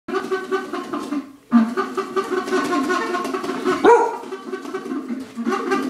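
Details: Lobo, a dog, barks at a Wendy's cup as if protecting its owner: continuous harsh, harmonic barking with a brief pause, then a sharp rising yelp and more sustained rough barks.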